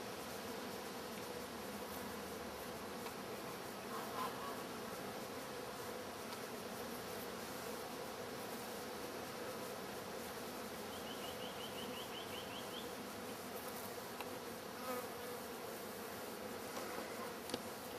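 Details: Wild honey bee colony in a newly finished hive with a viewing window, busy bringing in pollen: a constant massed buzzing hum, with a brief faint bird chirping in the background partway through.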